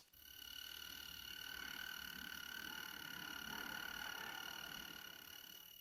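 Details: A male European mole cricket in Poland sings by stridulation, rubbing its first pair of wings together, to attract females: a steady, unbroken churring trill on one low pitch.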